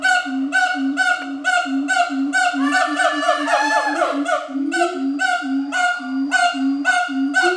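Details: A captive siamang pair duets with loud, ringing hoots repeated about twice a second, at Schmutzer Primate Center, Jakarta, Indonesia, on the morning of 20 April 2012, 09:21.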